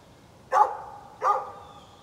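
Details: Two loud, harsh barks about three quarters of a second apart from a neighbor's dog, morning of 13 November 2020, each with a brief trailing tail over faint background noise.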